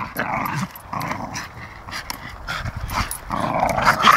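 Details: Two Staffordshire Bull Terriers playing together growl and grumble in bursts, with a person speaking nearby.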